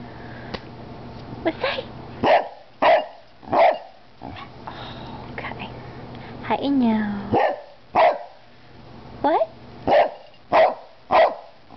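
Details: An 11-year-old female Cardigan Welsh Corgi barks, with a second Cardigan corgi, 8 years old and black and white, next to her. Human speech opens the scene, then short punchy barks repeat steadily, interrupted once by a drawn, wavering tonal cry.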